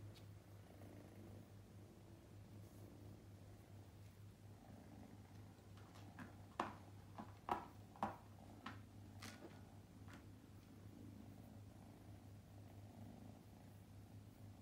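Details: Luca, nicknamed Ru-kun, a young male straight-eared Scottish Fold born May 2021, purrs indoors on his second day in a new home: a steady low rumbling drone throughout, with a few sharp tapping clicks midway.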